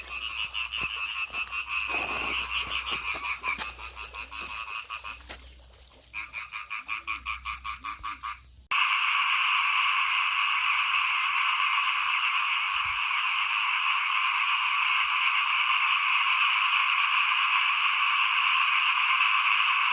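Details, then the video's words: Frogs calling outside a house as rice is sown for planting, 2021. Separate pulsed, rattling croaks repeat in quick bursts with low background hum, then give way to a thick, continuous chorus of high buzzing calls. "ฟินๆกับเสียงเขียดร้องหน้าบ้าน ตอนหว่านข้าวเตรียมปลูกปี2021"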